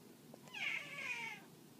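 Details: Domestic cat burying a breakfast drumstick to hide its kill for later eating, giving a single clear meow that rises then slides downward, drawn out over about a second, indoors.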